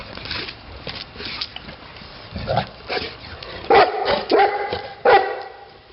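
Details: Titti, a Neapolitan Mastiff, gives three strong resonant barks about half a second apart near the end, after softer low sounds and background noise.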